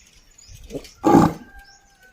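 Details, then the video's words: Desi bull in a village, calling a companion to come home, gives a single short, rough, broadband bellow after a softer lead-in grunt, with a thin whistle-like tone and faint chirps in the quiet background. "The Sound Of A Bull Calling A Friend To Come Home"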